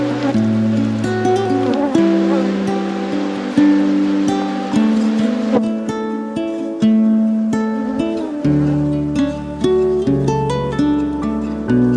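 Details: Plucked acoustic guitar music with strummed chords plays continuously, with a faint voice underneath.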